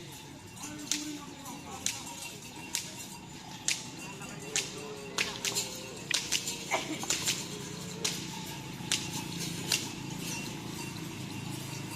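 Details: Outdoor training for karapan sapi bull racing at the Asemanis field in Pamekasan, with sharp repeated cracks, murmured voices and faint background music.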